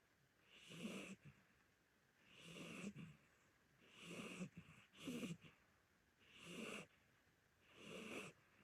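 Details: Old orange tabby Korean shorthair cat asleep indoors, snoring steadily: six hoarse, wheezy snores, roughly one every one and a half seconds, each a breathy rasp over a low rumble.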